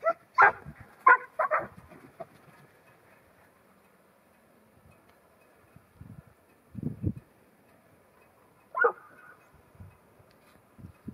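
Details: New Zealand Huntaway, a ten-month-old female, barking: a quick run of three or four deep, rough barks at the start, then scattered single barks and soft low sounds spread through long quiet gaps.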